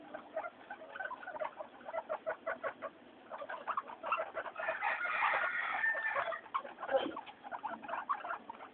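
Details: Pet guinea pigs Mayumi, Archie and Miyuki being noisy during their floor time; bursts of short chirpy squeaks, swelling into a louder, denser chorus midway before breaking up into separate calls again.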